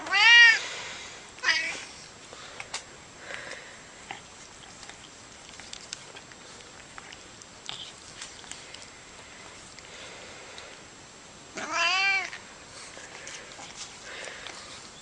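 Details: Funny noises from a cat: a loud, arching meow at the start and a shorter one a second later, then a long near-quiet stretch with faint clicks before another drawn-out, arched meow near the twelfth second.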